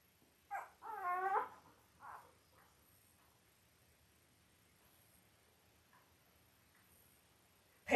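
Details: Five-day-old Labrador Retriever puppies, from a litter of five males and three females born October 15, 2023 to Belle, indoors on a live puppy cam. A brief run of high, harmonic whimpering squeals, then a couple of short squeaks and quiet.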